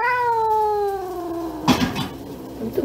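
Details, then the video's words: Pet domestic cat meowing indoors, apparently coming out to greet its owner: one long, steady, harmonic meow gliding slowly down in pitch for about 1.5 seconds, then a jingling bell from its collar. "뚱돼지 마중나왔냥?"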